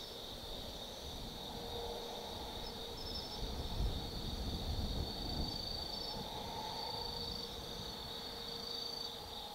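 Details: Insects calling on an autumn night at Tsukimi no Mori, Kaizu, Gifu, Japan, above the Nobi Plain: high continuous trills and occasional thin whistled notes, with a lower steady tone and rumbling background noise swelling midway.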